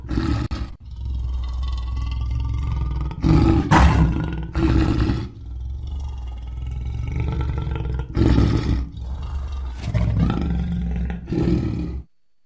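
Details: Lion producing repeated harsh, throaty roars and snarling bursts over a constant deep rumble, about six loud outbursts before the sound stops abruptly.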